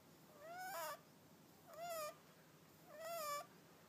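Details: Three drawn-out snores from the cat Hakka, each a half-second whistled tone rising then falling, overlaid with a hoarse breathy hiss, spaced about a second and a quarter apart.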